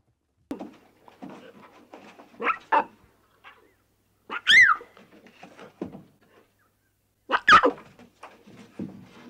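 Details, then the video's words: Young lion cubs playing and bonding in the wild: scattered soft grunts and mews, broken by two sharp, loud squeals with bending pitch, about three seconds apart, in otherwise quiet surroundings. "Adorable Lion Cubs at Play"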